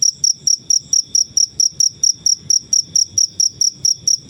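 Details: Shrill, high cricket chirps from a natural setting, used to tutor songbirds, repeat at an even pace of roughly four per second, each short and bright, against faint low noise.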